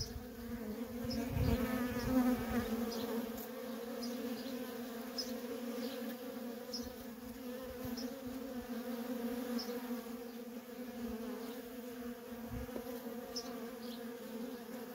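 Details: Feral honey bee colony with constant worker traffic, a deep sustained buzz with stacked harmonics, one bee passing close and loud near the start, then steady humming under sparse faint bird chirps.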